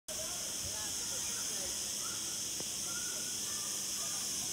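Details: Cicadas chirping in the garden of the Punta Cana Resort on Mallorca on 31 August 2019; a steady, dense, hissing buzz fills the high range without pause, with faint softer sounds underneath.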